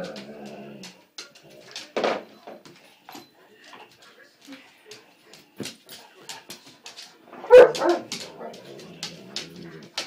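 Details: Pet dog Max play fighting with his mate Buster indoors: short growly and whining vocal bursts, with a louder outburst near the end, among thumps and scuffling.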